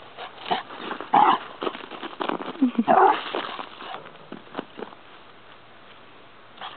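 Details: Playful small dogs romping in a boarding play area at Christmas let out high whimpering yelps and squeaky cries, densest in the first few seconds and then fading, with a woman's voice speaking softly nearby.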